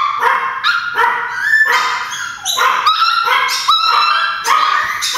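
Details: Several pet Chihuahuas bark excitedly, believing their grandma is at the door: shrill, overlapping yaps in quick bursts with whiny, drawn-out tones between them, continuous over five seconds.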